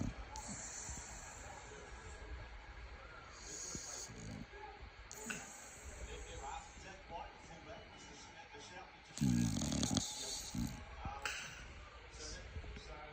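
A Staffordshire Bull Terrier snores with harsh, rasping breaths that come in uneven bursts every one to two seconds. Human voices and faint background noise run underneath the snores.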